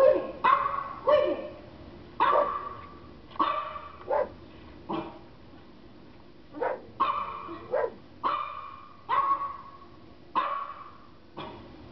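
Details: German Shepherd barking in reaction to recorded dog barking sounds; loud, harmonic barks in irregular bursts, some doubled, about eleven across twelve seconds, with quiet gaps between.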